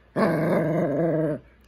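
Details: Pet Shih Tzu male indoors, growling at his owner as if trying to talk: one steady, rough, low moaning growl held for about a second and a quarter, then ending abruptly.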